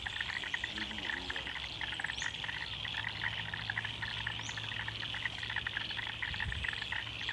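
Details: A dense Australian wetland frog chorus of rapid, overlapping pulsed calls, with a few brief bird chirps above.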